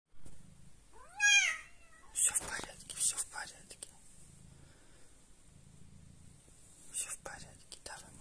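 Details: Domestic cat Jessie in labour giving birth indoors: one loud, drawn-out harmonic cry that falls in pitch, lasting about half a second, followed by soft whispered encouragement in Russian and faint rustling.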